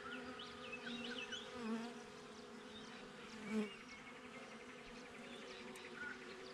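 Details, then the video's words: Western honey bees buzz outside a backyard beehive, a steady, low droning hum from the busy hive. "Bee Hive - Nature Sounds - Relaxation - No Commentary - GoPro"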